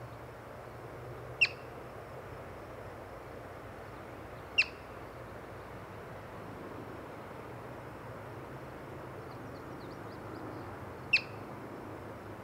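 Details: Three piercing, clipped chirps from a yellow-bellied marmot, met during a birding outing, spaced irregularly with a longer gap before the last; faint high twittering from small birds near the end, steady outdoor hiss throughout.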